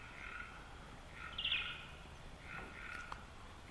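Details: A common pipistrelle, apparently looking for a mate in a garden, recorded on a homebrew bat detector with time expansion and played back: a couple of short, chirping trills over a steady background hiss.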